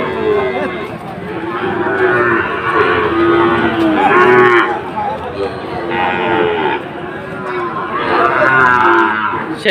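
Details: Sahiwal breed bull calves bellowing at Ambari haat, Sylhet, 2 October: a run of loud, stretched moos with rising and falling pitch, several callers overlapping, with a busy background of people talking.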